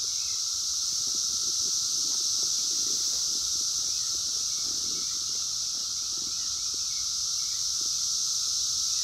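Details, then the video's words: Brood X periodical cicadas, the 17-year brood emerging in the wild in 2021, phone recording: a constant shrill wall of buzzing overlaid by a level mid-pitched drone, with soft rustling noises underneath. "sounds of 17 Year Brood X Cicadas 2021 in the wild"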